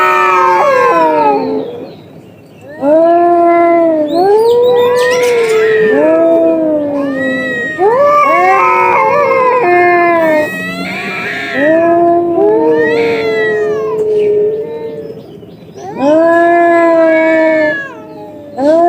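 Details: A fierce fight between two cats: loud, moaning yowls in bursts of several seconds, each swelling and sliding in pitch, separated by brief quieter gaps, with the two voices at times crossing and overlapping.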